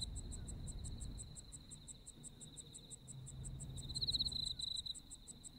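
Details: Autumn insects in Japan chirp in quick regular pulses over a steady high trill, one louder burst near the end, with quiet low background noise.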